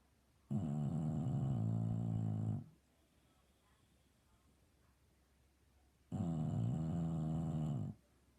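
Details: An English Bulldog snores loudly while sleeping, with two long, rough, rattling breaths about two seconds each, separated by a quiet pause of roughly three and a half seconds.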